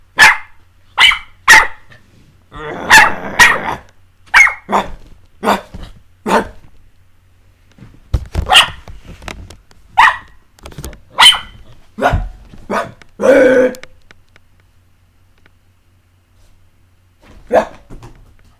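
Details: Playful barking from puppies Jessie and S'mores: high, snappy yaps fired in irregular clusters, some overlapping into a scuffling rush, then tapering to a lone bark after a quiet gap; a low indoor hum underneath.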